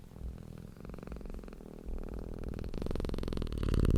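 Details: Content cat purring, a deep rumbling hum of rapid regular pulses that grows gradually louder and fuller over the few seconds.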